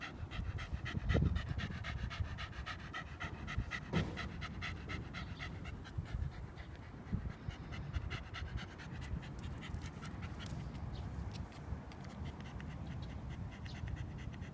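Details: Shiba Inu panting steadily during a walk on 8 July 2015. The fast, even breaths are clear throughout, over low rumbling background noise and a few soft thumps.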